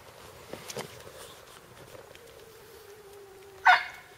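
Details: Shiba Inu puppies, four weeks old, out of doors for the first time for a few minutes: a thin, steady whine drifting slightly lower for about two seconds, then one sharp, loud yip, over quiet outdoor background.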